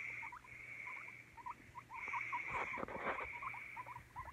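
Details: Rapid little upswept squeaks from a guinea pig, roughly three or four a second, over a constant hiss that swells into rustling in the middle.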